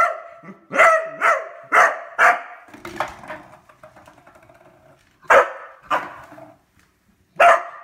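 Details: Beagle with a new toy it has discovered, firing off a quick run of barks, then low rumbling and scuffling noises, before three more spaced barks.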